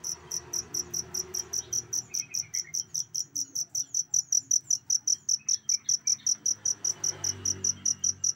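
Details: Cricket chirping steadily, used as a model sound for training songbirds: rapid high-pitched pulses repeated about two and a half times per second, with faint low background rumble.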